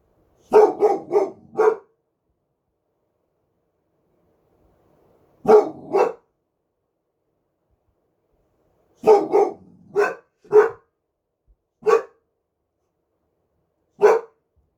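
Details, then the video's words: A one-year-old Boxer dog barks at night in short, deep bursts, often two to four barks at a time. "1 Year Old Boxer Dog Barking"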